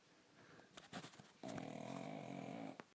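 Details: Pug called Bonya, snoring like a man: a few snuffly snorts and sniffs, then a sustained grating snore of about one and a half seconds with a dense buzzing flutter, ending in a brief puff.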